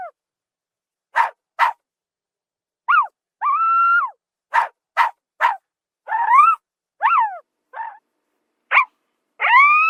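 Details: Zebra of the African savanna giving sharp, broadband barks in pairs and triplets. Between them come short, falling and rising harmonic yelps and two longer, flat, nasal whinny-like calls, with silence in between.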